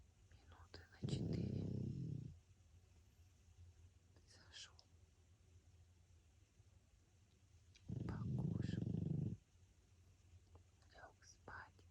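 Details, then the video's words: Sleeping pug named François snoring indoors: two long, rough, low rasping breaths about seven seconds apart, each lasting over a second, with soft whispering in between. "храп мопса Франсуа"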